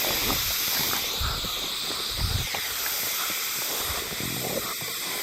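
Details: Hime-harusemi cicadas heard but not seen, Yamaguchi Prefecture, Japan, 19 July 2022: a dense, unbroken high hiss of massed singing fills the air, with soft low rumbles and scattered thumps underneath.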